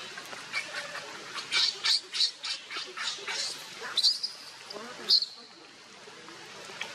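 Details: Baby monkey Leo cries while begging its mother for milk: a run of high, thin squeals, some tonal and drawn out, others short and rapid. Faint low rustling and murmuring sit underneath.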